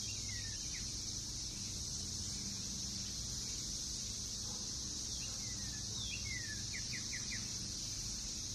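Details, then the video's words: Brood X periodical cicadas invading a Northern Kentucky backyard in June 2021. A steady high-pitched drone continues throughout, while a bird gives scattered short, descending chirps and a quick run of notes near the end. "Sounds of Cicadas in NKY"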